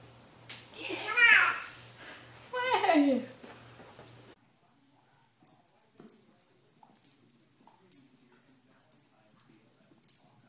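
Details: Cats meowing indoors in a small room: two drawn-out harmonic meows, the second sliding steadily downward in pitch. After them come a pause, then faint scattered rustling and quiet background voices.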